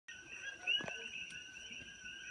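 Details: A dense chorus of coqui frogs at sunset on a farm in Kona, Hawaii, high piping notes blending into a steady ringing drone.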